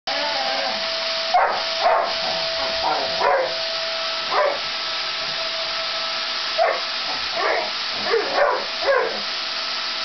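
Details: Labrador Retriever named Max barking at a running vacuum cleaner, treated as his enemy; short sharp barks in uneven bursts, some in quick pairs, over the steady loud roar and hum of the vacuum.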